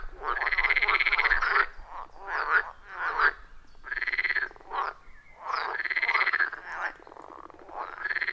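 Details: Frogs calling at a wild forest pond, iPhone 14 Pro and Shure MV88+ recording; distinct rattling croak bursts roughly one to two seconds long, separated by short gaps, loud and rhythmic.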